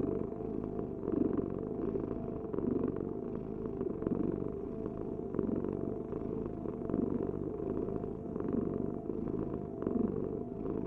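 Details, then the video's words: Steady rumbling purr from a house cat, rising and falling gently with each breath, the sound concentrated low with a thin continuous hum above, no other animals or voices. "Heal with the ultimate cat purring vibration"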